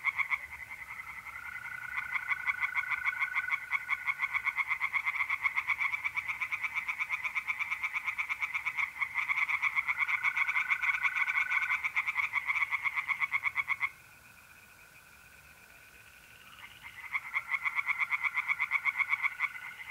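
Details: Night chorus of tree frogs at a pond in north-east Italy, mid-April: fast, regular rasping pulses in dense overlapping series, broken by a brief pause, while mole crickets trill steadily in long unbroken stretches.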